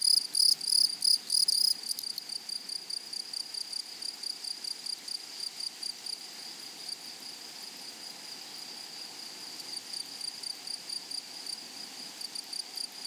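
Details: Grasshopper song from a flowery prairie meadow opens with two seconds of loud, sharp chirping bursts. It then settles into fainter, evenly repeated high buzzing pulses at roughly three per second.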